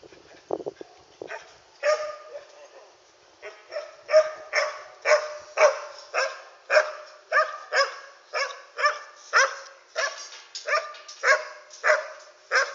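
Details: Dog barking at night, recorded on an Android phone: after a few scattered opening yelps, steady repeated barks come roughly every two-thirds of a second and continue unbroken to the end.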